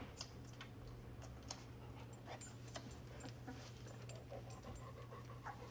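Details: Labrador Retriever puppies at play, panting in quick, soft, breathy bursts repeated through the recording, with a steady low hum in the background.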